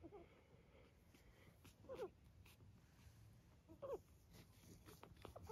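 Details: Newborn puppies of the mother dog Inca, eyes nearly all open, on a farm in County Kilkenny, Ireland; two short, thin, falling squeaks about two seconds apart over a quiet indoor background with soft rustling.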